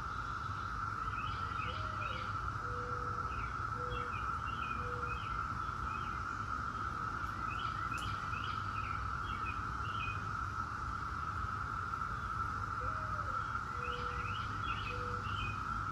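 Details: Periodical cicadas of Brood X, the 17-year brood, humming in a continuous steady drone; several birds chirp in repeated rising clusters and low whistled notes recur every few seconds, with a faint click near the middle.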